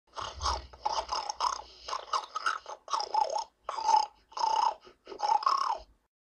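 A domestic pig grunts repeatedly, each rough, nasal burst lasting under a second with brief gaps between. The sounds are coarse and snorting, growing slightly louder toward the end.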